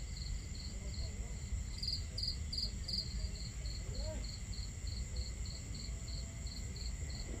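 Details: Crickets in a nighttime camp setting, with a burst of louder, clustered chirps near two seconds, then steady high pulses around three per second, over rushing water and a crackling fire.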